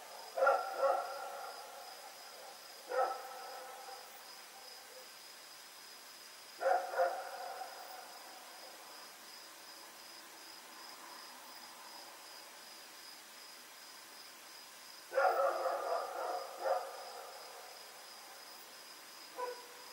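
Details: Nighttime barking by Rex, a dog running about, recorded 7 October 2018: short clusters of two or three quick barks separated by long pauses, over a thin continuous high whine.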